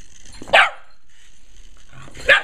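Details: Kiba, a pet Shiba Inu, plays with a remote control helicopter and gives two sharp, loud barks about two seconds apart, with a faint high mechanical whine in the background.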